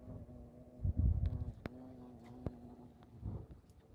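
A hornet's steady, low droning buzz holds an even pitch, with some thumps and rumble behind it.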